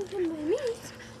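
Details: A five-week-old French Bulldog puppy, one of a litter playing outside, gives one clear whine that dips, then rises and falls again over about a second, with soft background noise.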